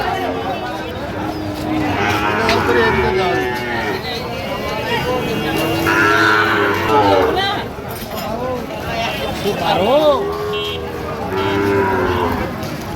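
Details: Moos from Sahiwal bull calves traded among farmers at Ambari market in Comilla, Bangladesh, on 1 September 2025. Several low, drawn-out, wavering moos come at irregular intervals through constant bargaining voices and crowd noise.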